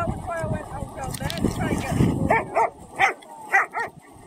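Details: German Shepherds playing in the sea with friends; a run of five short, sharp barks in the second half, each under half a second apart, following a stretch of mixed background noise and voices.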